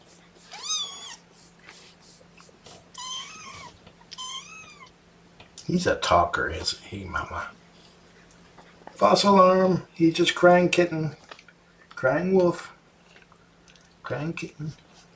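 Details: Young kittens of Mama Seraphina's litter object to being pottied before their weigh-in, giving three high, thin, wavering meows in the first five seconds before a person's voice takes over indoors.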